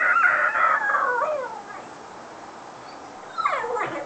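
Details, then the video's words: Foster whippet left alone at home while its carer went shopping, giving a long, wavering, descending howl lasting over a second, then a quiet pause before a second rising-then-falling howl begins. "The odd sounds coming out of foster whippet Hallie"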